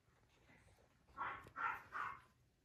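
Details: French Bulldog at a dog breeder in Okayama, Japan, giving three short, hoarse barks in quick succession, each a broad noisy burst, with quiet room background.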